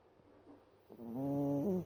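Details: One drawn-out, nasal snore from a cat, rising slightly in pitch at the end, after a moment of faint breathing.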